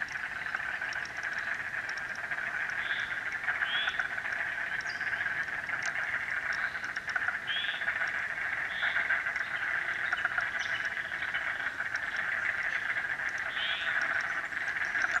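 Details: Chorus of frogs at Frog Hollow: a dense, unbroken wall of trilling and peeping calls, with occasional louder individual chirps standing out above the steady mass.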